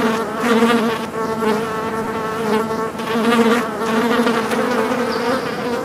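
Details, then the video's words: Houseflies, described as angry, make a thick unbroken buzz whose loudness rises and dips every second or so as the overlapping hum shifts in pitch slightly. "the flies/angry flies sound"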